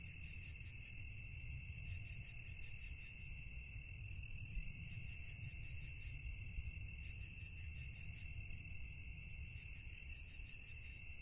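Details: Crickets trilling at night: an even, continuous, high-pitched ringing in several stacked bands, unchanging from start to end, over a soft steady low rumble.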